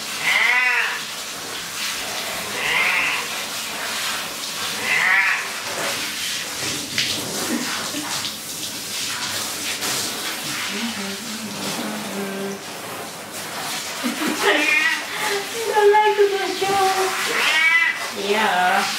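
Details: Cat being washed in a bathroom bath, giving loud, drawn-out, wavering meows several times, some rising then falling, with gaps between, over steady running water from a tap and splashing.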